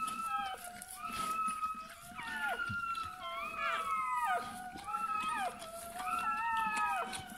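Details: Bernese Mountain Dog puppy at the moment of birth, uttering repeated high whimpers that start level and sweep sharply downward, several per burst, over about seven seconds.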